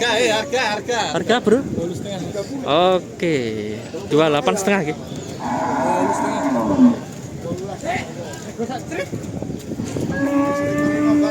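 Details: Australian-bred Simmental cattle for sale at the Kerek cattle market, Tuban, East Java. Several short lowing bursts come first, then a sustained moo. Busy crowd talk runs throughout.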